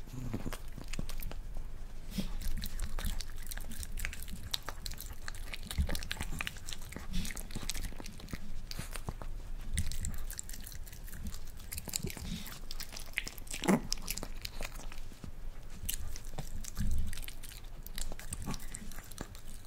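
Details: A pet Miniature Pinscher, Rafa, chews his first boiled egg in a small room, one egg in all; a long run of soft, irregular crunching and smacking clicks, fairly quiet, with a low constant hum underneath.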